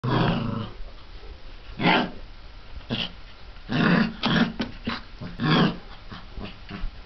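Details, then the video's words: Mastiff puppies from litter K, 34 days old, indoors: short low growling bursts and grunts, several clustered around the fourth to sixth seconds, with quieter rustling between them. "mastiff puppies - litter K - 34 days"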